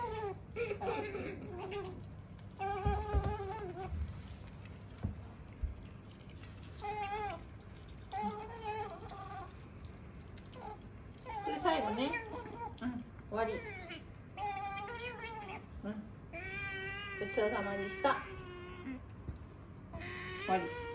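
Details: A female pet otter named Sakura chatters nonstop during a meal in a small room. Short, quavering squeals come every second or two, with some sliding upward. Soft eating noises fill the quiet gaps.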